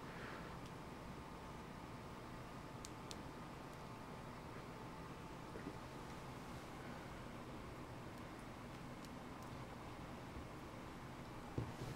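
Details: Quiet indoor room noise with a few faint clicks and a sharp knock near the end, no animal voice.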